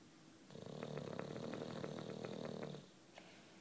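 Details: Deep, buzzing snore from Juanito, a sleeping nine-year-old British Bulldog, one sustained rattling inhalation of about two seconds with rapid fluttering pulses, then quiet.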